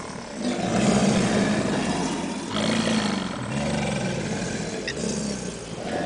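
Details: A group of subadult American alligators (Alligator mississippiensis) at the St. Augustine Alligator Farm zoo bellow in chorus, deep rumbling roars swelling and fading in overlapping bursts.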